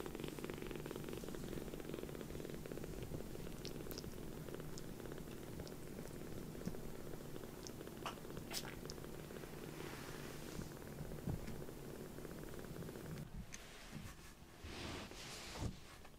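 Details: Rescued foster kitten Sokkun, a kitten wearing white 'socks' on all four paws, purring contentedly on its carer's lap after sulking; steady low rumbling purr throughout, with faint rustles and a few soft clicks near the end.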